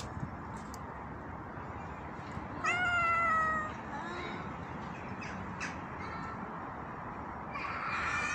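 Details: A homeless tabby cat in a tree gives one clear, drawn-out meow that starts high and slides gently downward.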